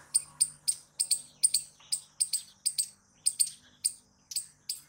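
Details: Loud squirrel calls in a clean run of sharp, high, clipped notes, about two to three per second, each ending with a short fading tail.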